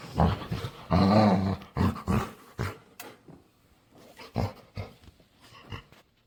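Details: Playful dog begging to play, making weird noises: a few short harmonic growls and whines with pauses between, some mumbled human speech in the background.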